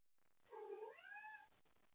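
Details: Domestic cat up late at night playing with toys and calling out for someone to play with: one drawn-out meow about a second long, starting low and bending upward into a higher wavering tone, in a quiet indoor room.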